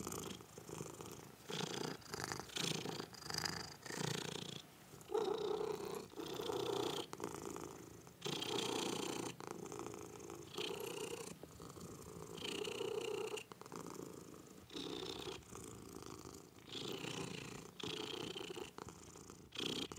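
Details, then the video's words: Cat purring softly, a low rumbling texture broken into short uneven bursts with frequent brief pauses between breaths, fairly quiet and close. "Listen To The Purr Of The Cutest Cats"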